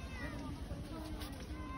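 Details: While camping, a Persian cat gives a brief, soft, thin meow, held fairly level and slightly wavering, over a low rumble like wind or handling noise, with faint voices possibly present.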